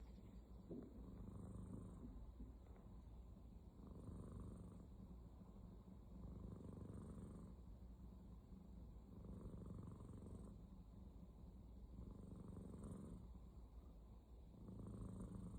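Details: Aya, a female pet cat, snoring: soft low rumbling breaths that swell and fade in a steady rhythm, roughly every two and a half to three seconds, with faint hissy overtones at each breath and a quiet, even background.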